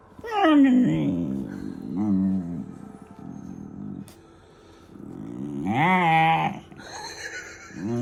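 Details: Funny vocal noises from a German Shepherd puppy: a sliding high whine opens, followed by low throaty grumbles, a pause, then a loud rising-and-falling howl-like yodel and a final short moan.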